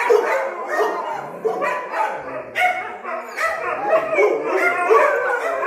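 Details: Dogs on high alert during a short countryside getaway. Several dogs give overlapping whiny yips and short wavering howls, rising and falling in pitch, bursting out roughly every second or so.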